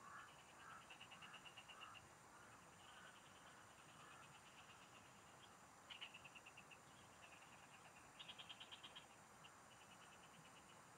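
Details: A chorus of frogs in the rice fields of the Philippine countryside gives rapid, pulsed trills at a high pitch, overlapping across the fields.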